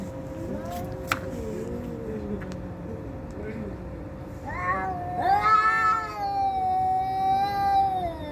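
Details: Cats fighting: low, quiet growling moans with a few sharp clicks at first, then a loud, sustained, wavering yowl that swells and holds for several seconds, with a steady hum behind.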